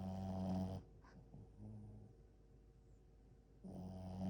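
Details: Sleeping French Bulldog snoring: a loud, low rasping breath at the start, a quiet pause of about three seconds, then another rumbling snore begins.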